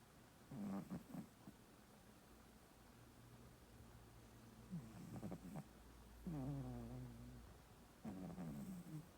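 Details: Sleeping male house cat snoring, phone recording: a few soft clicky breaths, then a long drawn snore of about a second with a buzzy, harmonic tone, followed by another rasping breath.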